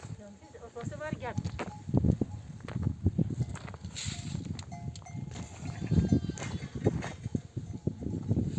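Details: Nomadic flock returning from desert pasture, mother sheep bleating for their lambs to suckle; a quavering bleat near the start, then milling animals, clanking and scattered voices of herders.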